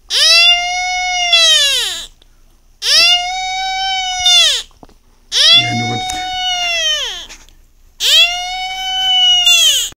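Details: Beagle's first cry: four prolonged, strongly tonal wails of one and a half to two seconds with rising starts and drooping ends, spaced by quiet gaps, with a faint low murmur under the third cry.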